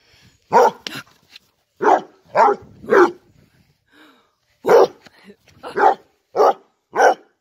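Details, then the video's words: Basset Hound barking during zoomies while wanting more treats: about nine loud, hoarse barks in irregular clusters, some paired closely, with a short pause in the middle and faint huffs between. "Zoomies barking basset"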